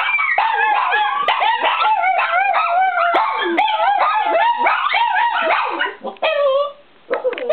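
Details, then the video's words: Small pack of four pet dogs (shih tzu/poodle, Pomeranian, Chihuahua, Lhasa apso/pug) howling in chorus; tangled sliding howls and yelps overlap densely, then trail off into a few separate wavering notes with brief pauses near the end. "Small pack howling"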